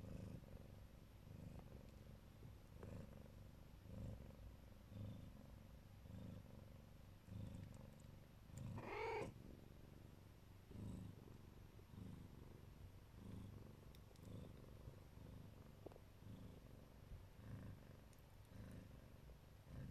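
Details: Siberian cat of the Neva Masquerade colouring, a mother watching over her kittens, purrs with a soft low rumble throughout, broken midway by one brief brighter squeak or mew.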